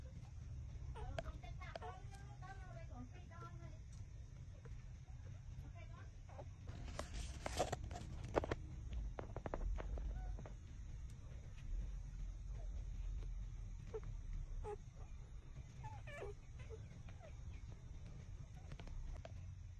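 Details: Six-day-old puppies suckling at their mother, giving a quick cluster of thin, high squeaks and whimpers early on, then scattered soft squeaks over a low continuous rumble with rustling and sucking noises.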